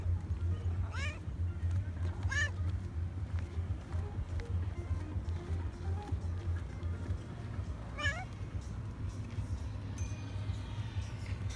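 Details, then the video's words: Affectionate calico cat on an embankment, following a person and asking for attention and food: three short arched meows, rising then falling, near one, two and a half and eight seconds, over a steady low rumble of traffic. "Calico cat followed me on the embankment and asked for attention"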